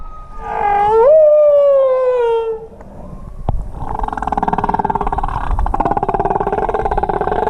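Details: Humpback whales recorded on a final swim of the day in the Kingdom of Tonga in 2017: a long harmonic moan that sweeps upward, then slides slowly down for about two seconds, followed by a rapid, buzzy pulsed rasp.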